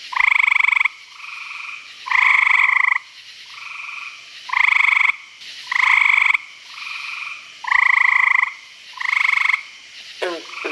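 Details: Frogs at a pond in Virginia after dark giving steady pulsed trills, each under a second, loud and soft callers alternating in a regular back-and-forth rhythm; a short sweeping chirp at the very end.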